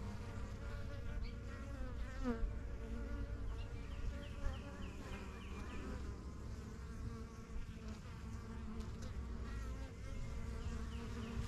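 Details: Honey bees at a busy backyard hive, the yellow box and strongest of a first few hives begun in spring 2023, flying in and out as they learn the area; dense, steady low droning hum with faint bird chirps mid-way.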